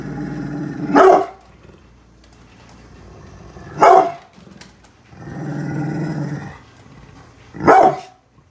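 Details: Brindle pit bull named Bullet guarding the house against construction workers outside: long low rumbling growls broken by sharp single barks, four barks about every three seconds.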